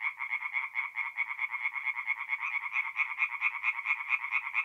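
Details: Tree frogs singing at night at a forest pond in mid-April in north-east Italy; a dense chorus of rapid, pulsed croaks runs without pause, several callers overlapping in a steady rattling drone.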